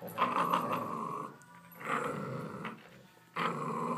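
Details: Female Jack Russell Terrier growling as she plays with a golden retriever puppy, sounding vicious; three long rasping growls, each about a second or more, separated by short quiet breaks.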